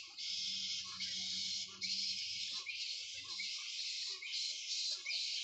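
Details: In the morning at a bat sanctuary, hundreds of bats hanging in mahogany trees chatter in a dense, continuous chorus of high, shrill squeaks and chattering, the colony calling on and off in an otherwise calm setting.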